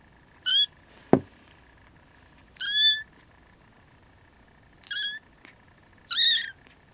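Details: Siamese kittens that cannot fall asleep and rouse their siblings, with their mother nearby: four short, thin, harmonic mews at irregular intervals, one sharp knock early on, faint steady hum underneath.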